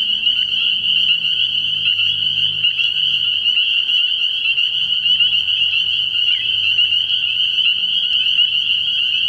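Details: Early-year nighttime pond full of spring peepers, their shrill high peeps merging into a constant piercing chorus, over a faint low hum in the background.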